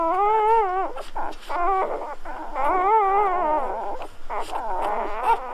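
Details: Golden Retriever puppies just born, crying with wavy, tremulous squeals that bend up and down in pitch, some drawn out over a second, others short and clipped, calls from more than one pup overlapping.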